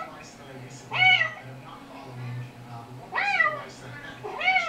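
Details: A recorded kitten mewing is played back to the household cats. There are three loud, bright meows, each rising then sliding down, about two seconds apart. Softer chirps and a constant low hum run in between.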